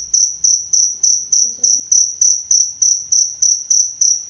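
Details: A cricket chirps steadily, kept as a tutor sound for songbirds: bright high pulses roughly three per second, each with a quick onset and fading tail, and a brief faint low tone midway.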